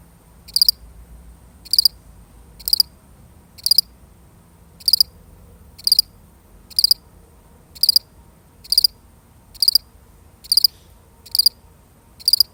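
A single cricket gives short, high, pulsed chirps, repeated about once a second over a quiet background.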